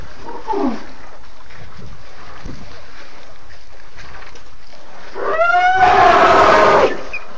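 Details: African elephants in a large herd with many young calves, September 29, 2016, at 3:20 pm, vocalizing often. A faint falling call sounds early, then a loud, harmonic, blaring trumpet lasts nearly two seconds before fading.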